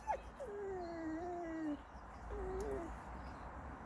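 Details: A pet Shollie dog, a shepherd-collie mix, 'talks' to its owner about wanting a chipmunk; long wavering whines that slide and waver, one drawn-out then a shorter second, over quiet indoor hiss.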